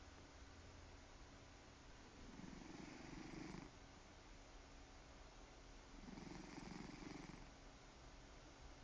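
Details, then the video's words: Snoring purr from a cat, low continuous rumbling with two longer, louder inhaled snore bursts spaced about three seconds apart over faint background hum. "Snore Purr"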